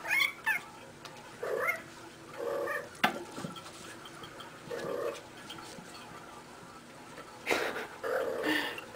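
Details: Female pet cat playing and rolling around indoors, making cute noises: a series of short chirrups and trilling mews spaced a second or two apart, with bumps and knocks between them.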